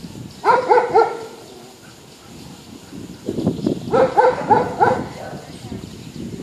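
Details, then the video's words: Poodle showing off and teasing other dogs, barking in short clusters of three or four quick yaps, with people talking in the background between and under the barks. "Poodle fanfarrão tirando onda com os Patores"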